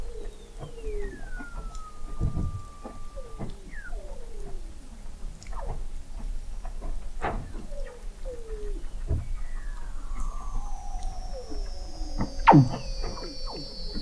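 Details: Weddell seal chorus under Antarctic sea ice at McMurdo Sound, November 2017, from an observatory installed 21 m below the ice; falling whistles, a series of short descending chirps, sharp broadband pulses and a long high glide near the end.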